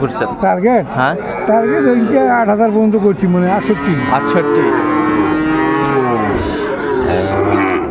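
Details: Sahiwal bull calves at Ambari cattle market, Dinajpur, on 11 March 2024, early in Ramadan. Several overlapping moos rise and fall in pitch, some wavering and some long and drawn out, over a busy market hubbub.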